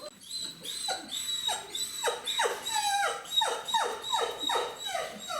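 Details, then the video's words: A mother dog clucks in quick, repeated, falling notes to gather her 29-day-old puppies indoors in autumn, before regurgitating food for them. "Donc là, la chienne que vous entendez glousser, c'est Horizon. Et quand elle fait ça, elle rameute la troupe."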